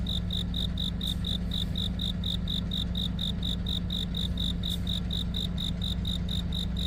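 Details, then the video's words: On a deepening autumn night, a cricket gives an unbroken series of bright, high-pitched chirps, evenly spaced about four per second. A continuous low droning hum sits underneath throughout. "깊어가는 가을밤 🦗귀뚜라미🦗 우는소리"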